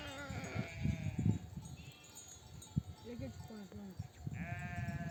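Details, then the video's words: Nomadic flock returning from grazing, mother sheep calling lambs to feed; thin harmonic bleats at start and end mixed with clattering, thumps and low rustling of the herd. "The sound of mother sheep returning from the pasture to breastfeed her babies"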